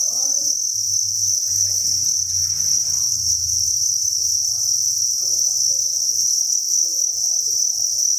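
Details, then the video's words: Thousands of crickets chirp together inside a cricket breeding farm, a dense, unbroken high-pitched trill held steady throughout, with faint low rumbling and scattered soft murmurs underneath. "Cricket Chirping Sound"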